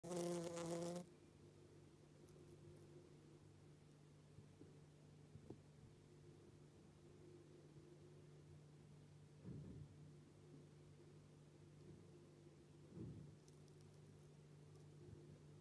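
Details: A queen early bumblebee (Bombus pratorum) in her nest chamber in April gives a steady, low droning buzz, with a brief loud crackle at the start, while guarding her wax brood and eggs.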